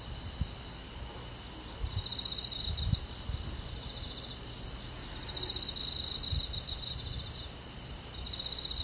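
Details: Night-time crickets in a summer countryside forest sing high, pulsed buzzing trills in spells of one to two seconds, with gaps between them, over faint low background noise and occasional soft knocks.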